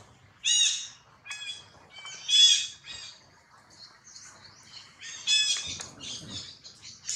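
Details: Baby monkey Jinx crying loudly after being bitten hard by another monkey, Jade: shrill, harmonic screams in sharp bursts near the start, middle and after five seconds, linked by thinner squeals and whimpers, with faint low rustling beneath.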